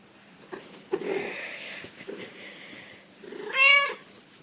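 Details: Black cat with yellow eyes making soft rustling and murmuring noises, then one clear, bright meow near the end that rises and then drops in pitch.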